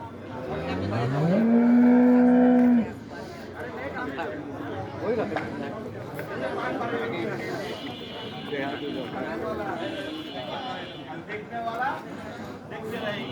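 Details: A big-sized cow gives one loud moo lasting about a second and a half, with a low rising start that then holds steady. Bengali conversation and background chatter follow for the rest.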